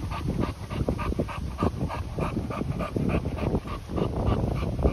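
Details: Continental Bulldogs at the welcome of two-month-old puppy Sumo by ten-month-old Rita: quick, breathy, rhythmic puffs repeat several times a second throughout, with rustling and handling noise underneath.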